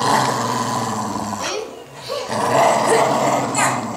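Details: Low rumbling growl from a pit bull fighting a toddler for stuffed toys: continuous and gravelly, dipping into a short pause midway before swelling again, with a child's voice faint in the background.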